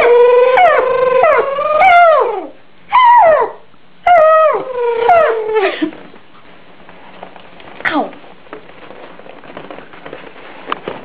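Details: Pet Yorkshire Terrier howling: a run of drawn-out, wavering howls sliding downward in pitch, broken by short pauses over about six seconds, then quieter, followed by one brief fainter yelp near the end.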